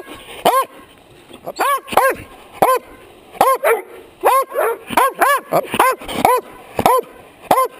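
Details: Dog barking right at a chest-mounted GoPro Hero HD camera, nose close enough to bump it: about fifteen loud, sharp harmonic barks in uneven bursts, often in pairs, with short pauses between.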